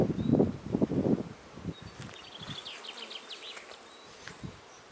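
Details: Honey bees at a kept hive on a beekeeping farm: loud, low buzzing bursts pass close during the first second or so, then fade to scattered softer hums while small birds chirp and twitter high above.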